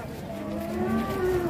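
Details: Rampaging cow that broke loose, in Indonesia, giving a sustained low moo with steady harmonics, over background chatter and engine noise.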